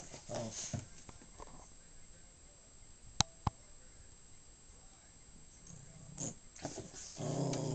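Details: A pet dog, possibly a Maltese or Shih Tzu mix of uncertain breed, gives short low rumbling growls in three separate bursts, near the start, around six seconds and at the end, with quiet room noise and a couple of sharp clicks between.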